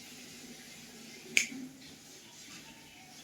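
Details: A quiet indoor room with a faint steady hum and one sharp finger snap midway, with no animal voice heard.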